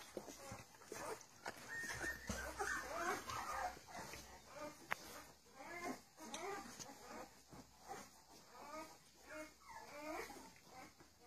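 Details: Fifteen-day-old puppies, offspring of Charlotte and Mayley, producing a chorus of thin wavering squeals and whines, bursts every second or so, some grunts, and a sharp click midway.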